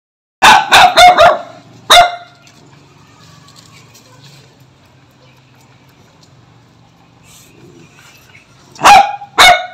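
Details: Dog or puppy kept as a house pet, barking in a quick burst of four sharp barks, then one more near two seconds, quiet, and two final barks near the end; low hum underneath.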